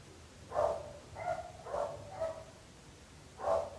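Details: Neighbourhood dogs barking, their owner accused of being unable to keep them: a run of four quick, hoarse barks followed by one more after a short gap, sounding muffled and some distance away.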